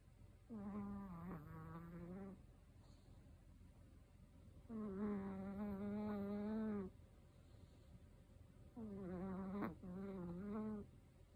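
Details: A 13-year-old male Chihuahua snores loudly, each buzzy, nasal rasp lasting about two seconds and returning every four seconds; the owner is looking for ways to reduce the snoring.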